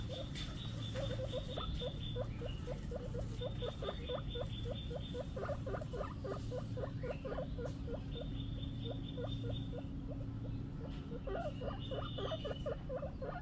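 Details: Baby guinea pig making a rapid, continuous series of short squeaky chirps, several per second, over a steady low hum and faint higher tones.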